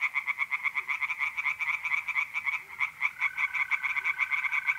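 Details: Tree frogs croaking in a pond chorus on a mid-April night in north-east Italy, quick pulsed calls in a steady beat, a mole cricket's smooth trill starting in the last two seconds.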